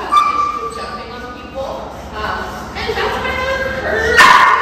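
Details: Zara, a high-drive, anxious 8-month-old female German Shepherd/Belgian Malinois mix in a two-week board-and-train at OLK9 Charlottesville, gives short high yips and thin whimpering whines indoors while people talk over her.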